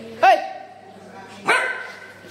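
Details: Labrador Retriever puppy giving two short, sharp barks about a second apart, each a bright harmonic burst that quickly fades, with quiet room background between them.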